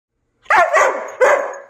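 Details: Excited German Shepherd Husky dog named Covi barking indoors as his owner puts on shoes before a walk, in a household of three dogs: three loud, harsh barks in quick succession, the first two running together, the third after a short pause.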